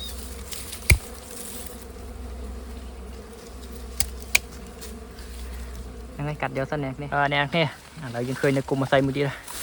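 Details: Honey bees hum in a continuous low drone at a colony being cut out on a honey hunt, broken by a few sharp clicks, before a man starts talking loudly over the buzz.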